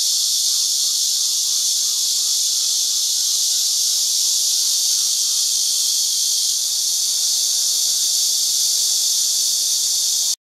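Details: Cicadas in numbers singing as one from tree branches on a farm orchard in Houbi, Tainan, heard only in this season, filmed with a digital camera. An unbroken, loud, high-pitched hiss that cuts off abruptly at the end.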